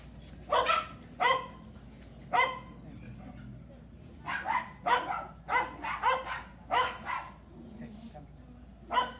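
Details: Belgian Malinois in training, giving sharp, loud barks in irregular bursts, about a dozen over nine seconds, some single and some in quick runs, over a low steady background hum.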